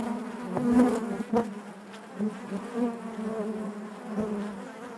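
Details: Steady low drone of honey bees in the hive, a few closer bees buzzing louder for a moment, their pitch wavering slightly over the constant hum.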